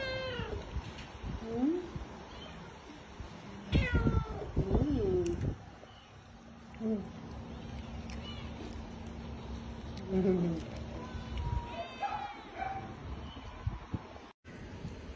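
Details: Stray cats and kittens meowing at feeding time, several drawn-out rising and falling meows spread through the clip, with a person talking softly and household background noise between calls.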